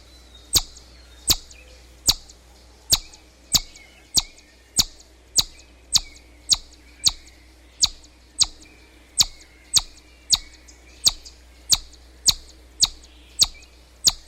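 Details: Chipmunk calling: sharp, high chips repeated steadily about every 0.7 seconds, each a brief bright click-like note, continuing in an even series over a faint background hum.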